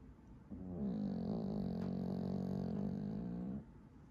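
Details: A sleeping squirrel-type Pomeranian dog gives one loud, steady, low buzzing snore that lasts about three seconds and then stops abruptly, over soft background hiss.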